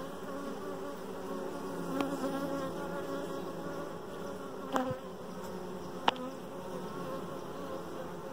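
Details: Honey bees humming inside a hive around a dark queen, a steady low buzzy drone with a few brief sharp clicks and knocks.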